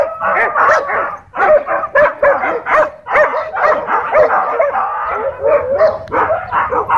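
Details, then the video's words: Dogfight at a dog park where leashed dogs caused tension: rapid overlapping barks and growly snarls from several dogs in quick bursts, a brief lull near one second, then steady frantic barking. "Airhorn Breaks Up Dogfight"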